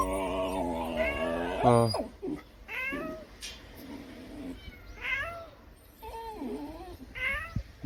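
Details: Kitten crying, heard all day nearby, among a yellow cat and a tabby: background music opens, then several short, bent meows come at uneven intervals, each rising then falling, with a faint hiss between.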